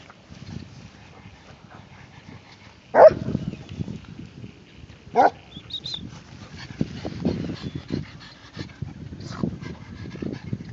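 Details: Pug trying to mate with a Basset Hound: two sharp, loud barks about two seconds apart stand out over snuffling and low rustling, with softer grunting noises afterward.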